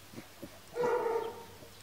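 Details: Kuvasz puppy, 39 days old, from a litter of Armani Niclas vom Crystal Diamonds and Arika Majna-menti Mákvirág, recorded 22 July 2014; after two soft taps comes one drawn-out, tonal whine or yelp of about half a second, steady then slightly falling.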